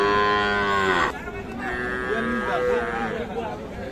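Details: Cattle at the Ambari cattle market, where small bulls and heifer calves are sold around New Year 2025: a loud, steady, harmonic moo lasting about a second, cut off sharply, followed by men talking and bargaining over prices.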